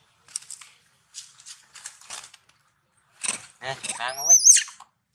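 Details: Pig-tailed macaque vocalizing to the baby monkey Julina at the Angkor Wat temple zone, Cambodia: several short harsh bursts, then a run of harmonic, wavering squeals ending in a thin, high whistled squeal.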